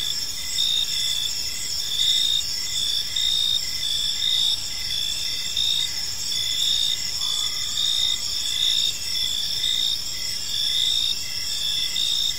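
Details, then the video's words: Crickets singing at evening in a tranquil park, dense overlapping high trills and a steady rhythm of short chirps, one brief faint lower tone mid-clip, over soft background noise. "Cricket Sounds in a Peaceful Park"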